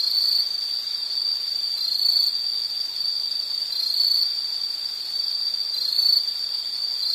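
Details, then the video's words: Sustained high insect chirring with a flat, even tone, rising slightly in loudness around four and six seconds; faint higher-pitched chirps flicker above. "Sound · Nature Sound of nature sounds scenery L · insect"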